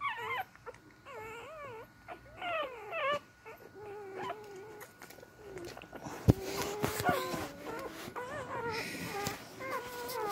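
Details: Newborn beagle pups searching for their mother's milk give wavering, looping whines. Early calls are clear, while later ones are thinner and drawn out beneath rustling and handling noise.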